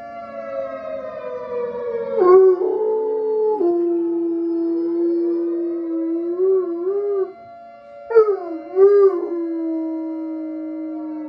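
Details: A bloodhound-coonhound dog howls long, mournful notes with wavering, yodel-like breaks, singing along with a tornado siren played from a phone.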